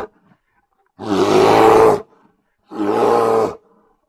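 A grizzly bear gives two deep, harsh roars, each about a second long, with a pause between.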